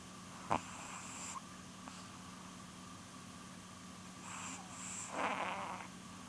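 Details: Sleeping female Chihuahua named Polun, nearly twelve years old, snoring indoors: a sharp click, then two soft, breathy rasping snores near the end, over a steady low electrical hum.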